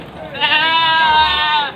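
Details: A single long, wavering, nasal bleat lasting over a second from one of about forty mostly female Javanese and Etawah goats loaded on a pickup at Panggul market, Trenggalek, Indonesia.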